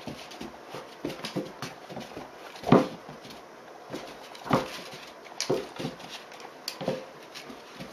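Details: Dobermann puppy, 76 days old, playing with an older female Dobermann on 5 August 2016 at 15:50, leaping at and nipping her. Short growly, whiny bursts come at irregular gaps, the loudest near the middle, over faint scuffling.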